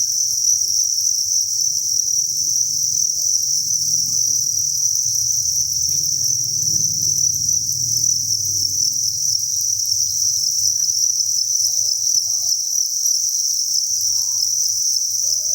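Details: Massed crickets at a cricket farm, thousands strong, keep up a continuous high-pitched trilling drone, steady in loudness, while a low muffled rumble swells and fades underneath around the middle.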